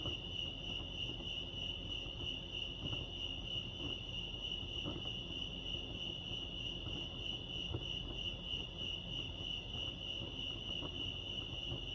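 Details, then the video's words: Crickets at Lake Arrowhead in California keep up a continuous, rapid, high-pitched pulsing chirp, even and unbroken, with a soft low background rumble beneath. "Serenity sounds crickets chirping lake arrowhead"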